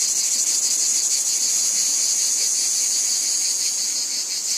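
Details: Wheat field cicadas: a steady, hissing, very high buzz with a rapid rhythmic pulse, unbroken throughout, no other sounds.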